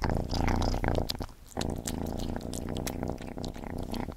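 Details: Cat Gordy purring loudly while eating, a deep buzzing purr in short bursts broken by a pause, overlaid with sharp crunchy bites and licking smacks.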